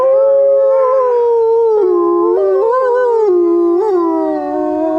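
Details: Several gray wolves at Grodno Zoo howl together, long smooth tones sliding and stepping between pitches.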